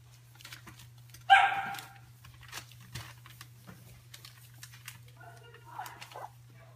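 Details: Stabyhoun puppies giving one loud, sharp harmonic yelp early on, then a shorter whining cry near the end, with faint voices and a steady low electrical hum throughout.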